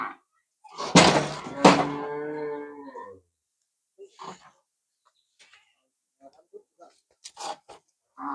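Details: Friesian cow on a farm on the day it is sold, raised from the farmer's own herd, letting out a strong, hoarse moo of about two seconds, followed by scattered knocks and short voices.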